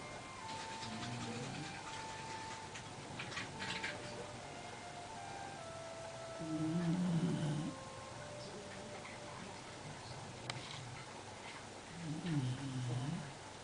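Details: Basenji dog snoring while asleep: low, rough, droning snores with a buzzing tonal edge, three drawn-out breaths spaced roughly five to six seconds apart over faint room hiss.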